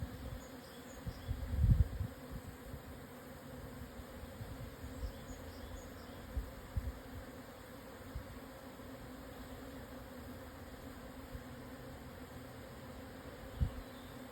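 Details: Japanese honey bee swarm at 12:50 on 17 June 2024, 1054 m up on the southern Yatsugatake highlands, Hokuto, Yamanashi, Japan, after strong wind eased. Steady low droning hum, partly masked by bursts of wind rumble.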